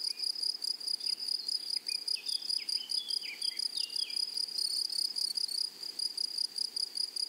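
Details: Meadow grasshoppers produce a continuous, sizzling, high-pitched buzz with a fine pulsing texture. A bird adds a string of short, falling whistled chirps through the first half.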